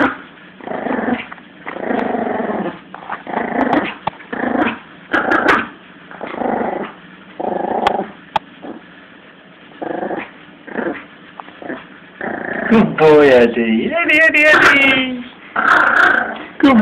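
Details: Yorkshire Terrier puppy Lulu, 17 weeks old, growling while playing tug of war with a Jack Russell; repeated rough growl bursts roughly every second, turning into higher whiny, yipping growls near the end.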